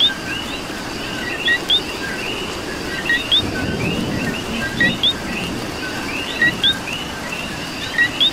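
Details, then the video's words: Puerto Rican coquis in rainfall, one frog close by repeating its crisp two-part co-qui, a brief lower tone snapping up into a rising whistle about every second or two, set against a constant background chorus and rain patter. "Coqui and Rain"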